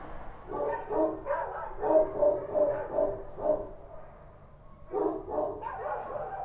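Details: Street dogs, Kochi dogs, at night in Kabul: bursts of mid-pitched, harsh barks in quick runs, a pause near four seconds, then more rapid barking.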